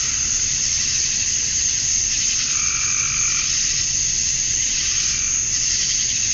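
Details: Male cicadas chirping to attract females at dusk on a summer night in Georgia, USA: a dense, unbroken high-pitched hiss and shrill drone, with a fainter pulsing tone rising and fading midway through.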